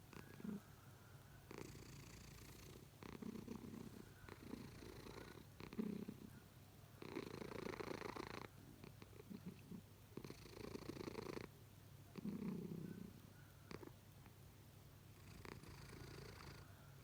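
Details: A sleeping pet cat snoring loudly enough to wake its owner: rhythmic rasping breaths in long low bursts of about a second each, repeating every two to three seconds through a quiet indoor room.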